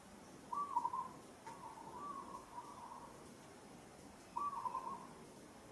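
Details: Young monkey, Kampong Cham Province, Cambodia, crying out while another monkey grips her roughly: a loud quavering whimper, a softer drawn-out whine, then another quavering cry.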